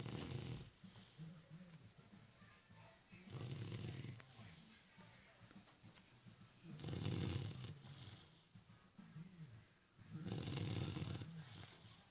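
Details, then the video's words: Sleeping puppy, four months old, snores steadily: deep rasping breaths roughly every three and a half seconds, each swelling loud then fading, with quieter wheezy exhales between. "Puppy snoring"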